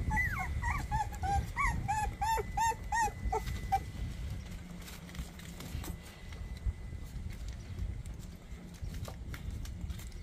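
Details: Young puppies, 24 days old, squeal in a rapid series of short, falling whimpers for about four seconds before falling quiet, leaving low rumbling noise and a few soft clicks.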